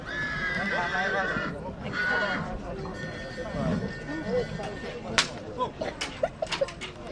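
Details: Stallion at Breaza, Bistrița, in 2022: a loud, wavering neigh with stacked harmonics in the first two seconds, then sharp clip-clop hoof knocks; people talking throughout.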